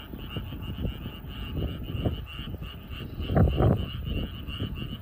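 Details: Frogs in a rice paddy in the evening croak in low, rapid, uneven pulses, with a steady high trill humming behind them.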